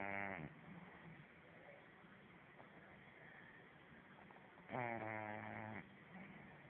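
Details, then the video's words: French Bulldog snoring while sleeping: two drawn-out, nasal, tonal snores, one at the very start and another about five seconds later lasting roughly a second, with soft breathy hiss and quiet rasping between them. "French Bulldog Arrow snoring"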